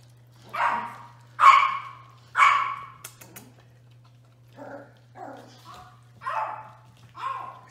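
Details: Six five-week-old Toy Australian Shepherd puppies playing, giving about seven short, yappy barks and yips in quick bursts, some higher and brighter, with quieter gaps between them over a steady low electrical hum.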